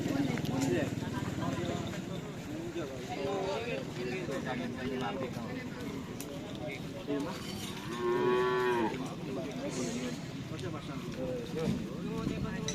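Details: Cattle at a karapan sapi bull race training session on the Asemanis field in Pamekasan. A single drawn-out, tonal moo rises above steady talk and crowd noise, with shorter lowing sounds and voices throughout.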